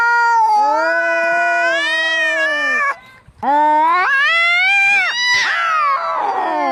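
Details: Cats fighting angrily, long drawn-out yowls holding steady then bending upward into higher wailing cries, a brief pause, then rising screeching moans ending in a harsh raspy spit.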